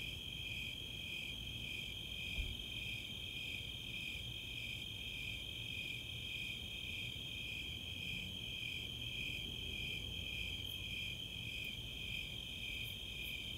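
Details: Summer night chorus of Snowy Tree Crickets and Four-spotted Tree Crickets in the open space of Chautauqua, Boulder, Colorado: two steady high pulsing trill bands, with a few faint high ticks of Greater Angle-wing Katydids near the end.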